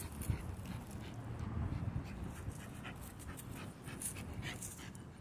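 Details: Female micro American Bully named Egypt, out walking and trying to catch a squirrel, pants in fast ragged breaths with faint whimpers, set against low rustling and outdoor background noise.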